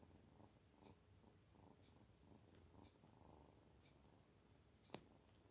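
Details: A kitten feeling good purrs with a soft, low, pulsing rumble that rises and falls about twice a second. A single sharp click is heard near the end.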